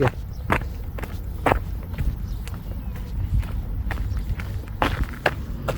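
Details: Footsteps crunch outdoors, with traffic rumble and a few brief words of speech.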